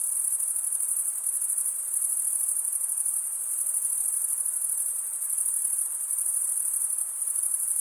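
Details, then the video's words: Male crickets stridulate with serrated wing veins, producing a steady, shrill, rapidly pulsing chorus that barely wavers in volume, sustained without pause over a quiet background. "Most relaxing cricket sound"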